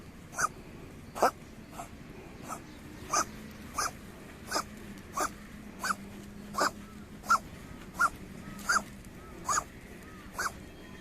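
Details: Stray community cat coughing while being stroked on its rump: a steady run of short, harsh hacking bursts, one roughly every three-quarters of a second, each with a raspy tonal core, over low background rumble.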